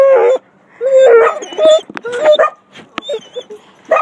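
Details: Seven-year-old Basset Hound Gracie whimpers and yips on being collected after her owner's vacation, with a cocker spaniel and a mixed-breed dog nearby. Short, rising, whiny cries break into quick yelps, with a little human speech between them.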